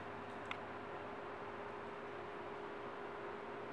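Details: Steady hiss of indoor room noise with a faint hum and a single short click, with no animal voices.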